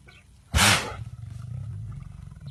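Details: A huge lion sneezing: one sudden explosive broadband burst lasting about half a second, followed by low rumbling breath noise.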